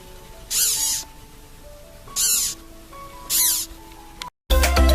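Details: A caterpillar, the butterfly's first stage, gives three hissing, squeaky bursts, each with a falling whistled tone, about a second apart; said to come from air forced out through small holes in its body.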